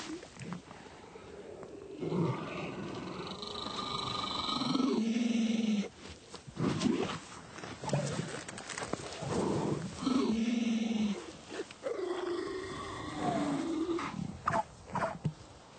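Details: A male hooded seal, with a rival male present and competition between them, gives long rough roaring bursts that end in low buzzing tones, with pauses between bouts and background clatter.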